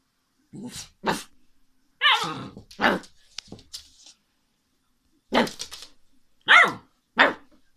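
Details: Alaskan Malamute puppy giving short, sharp barks and yelping talk-like calls indoors, about seven separate bursts spaced irregularly across eight seconds, with quiet gaps between them.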